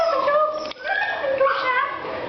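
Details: Five puppies inside a house on the night of August 26, 2010, giving high, sustained whining whimpers that slide up and down in pitch. One brief break near the middle, then the whines resume, wavering and rising again.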